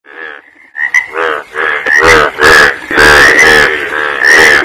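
Frogs croak in loud, rattling bursts, each a dense pulsed chorus, coming roughly once a second.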